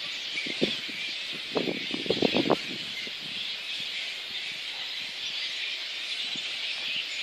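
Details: Before the dispersal at Boonah, Queensland, Australia, 19 February 2014, a little red flying fox colony keeps up a steady high squealing din. A brief burst of rustling and cracking comes about two seconds in.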